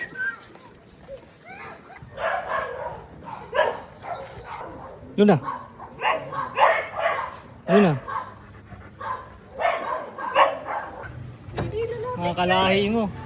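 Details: Belgian Malinois, one of two dogs named Luna and Dax, giving short rising yelps and whines among several bursts, while people talk over it and laugh.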